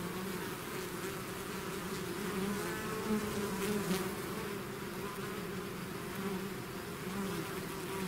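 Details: Bees swarming from their hive make a steady buzzing drone, separate insects humming past with slightly wavering pitch, a little louder around the middle, otherwise constant.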